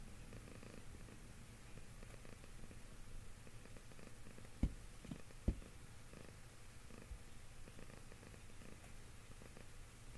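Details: A cat being petted purrs in a low, unbroken rumble with gentle rhythmic pulses, interrupted by two short sharp clicks midway.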